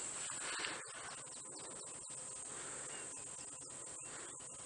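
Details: Cicadas starting to call on a hot morning during a safari game drive, said to emerge only on very hot days. A steady, very high-pitched whine runs throughout, with faint clicks and soft rustling beneath.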